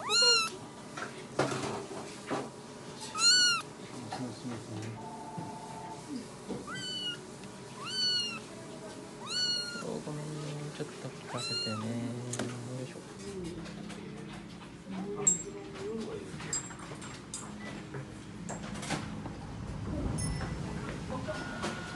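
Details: Rescued kitten, about four weeks old, at an animal hospital check-up for flea and tick treatment and a stool test, giving high arched meows repeated every one to two seconds, later fading under people talking and indoor background noise.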